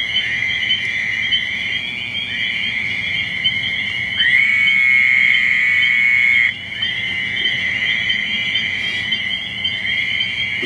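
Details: Male Fowler's toads calling to attract mates by a small woodland lake in early spring, with spring peepers nearby: nasal, buzzing bleats of a few seconds each, one male loudest among overlapping callers.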